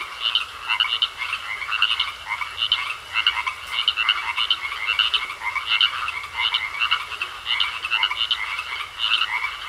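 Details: Pond frogs calling together: quick trains of harsh, clicky croaks stacked over each other, pulsing several times a second across the whole stretch, with a thin constant whine underneath.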